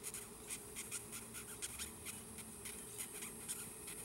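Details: Giant red velvet ant, a wingless wasp known as the cow killer, handled in close-up before being set free; rapid short, scratchy high squeaks repeated about four times a second over a steady background hiss.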